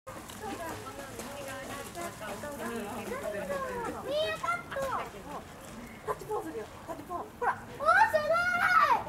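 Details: Lar gibbon family, white-handed gibbons kept at Hamura zoo in Japan: curving tonal hoots near middle pitch, then rising whooping sweeps that climb sharply around the fourth and eighth seconds, with faint background chatter.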